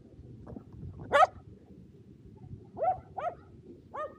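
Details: Shetland Sheepdogs Power and Beat during a two-dog frisbee game on a sunny day, 23 February 2022, Japan; a few short, rising yelping barks spaced about a second apart over steady low background rumble.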